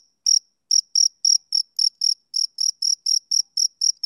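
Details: After a thin sustained tone and a short silence, a male cricket starts chirping in crisp, bright pulses roughly four per second, each with a faint ringing overtone.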